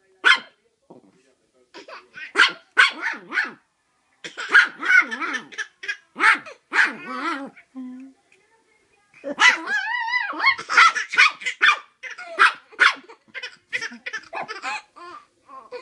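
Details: A Chihuahua in a bed indoors barks in short, shrill yaps, often several in a rapid string, while a baby boy in a Santa hat giggles and laughs alongside, sometimes overlapping.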